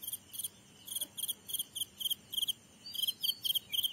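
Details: Grasshopper giving quick high chirps in pairs and triplets, about three groups each second, with a slightly rising squeak near the end.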